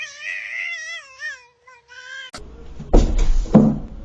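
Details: A cat gives one long wavering meow and then two shorter meows, followed by loud thumps and rustling.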